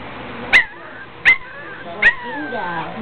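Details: Puppies at play give three short, high yelping yips about three-quarters of a second apart, each trailing off in a thin wavering whine, with a quiet human voice in the background.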